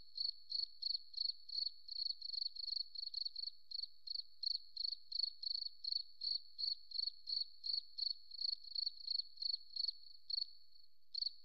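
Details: Forest cricket chirping steadily: short shrill pulses at a single high pitch, roughly three per second, some coming in close pairs, fading to a last isolated chirp near the end; otherwise silent background.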